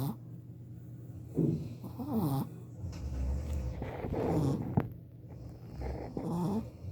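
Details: Bruno, a 4-month-old male Shih Tzu puppy, snores while sleeping with low rumbles and soft, wavering nasal whistles every second or two.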